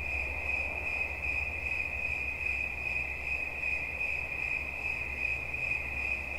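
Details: Cricket chirping in one continuous, steady high trill with faint rapid pulsing and a fainter overtone above it, over a constant low rumbling hum.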